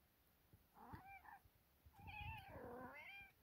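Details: Kittens, one called Sofia, meowing a good morning: a short mew near the first second, then a longer, louder, wavering meow that rises and falls over the last second and a half, with soft knocks underneath.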